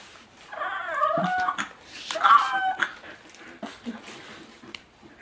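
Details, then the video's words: Pet dog whining indoors in a small room, high harmonic whimpers rising and falling in two bursts around one and two seconds, with faint clicks and scuffles between. "FUNNY DOG,S"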